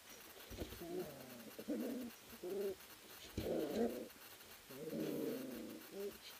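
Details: Ari x Grace puppies, three weeks old, tussling together in a kennel whelping house; low throaty grumbles and whiny growls come in separate bursts with short pauses between them.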